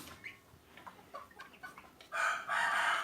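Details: Ayam Cemani chickens about three and a half months old, kept for sale: short scattered clucks early, then loud harsh raspy crowing bursts in the final second, with a man talking nearby.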